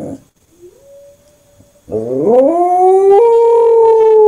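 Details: A Corgi, having taken up howling after listening to German Shepherds howl, gives a long, rising howl that swells and holds steady at the end.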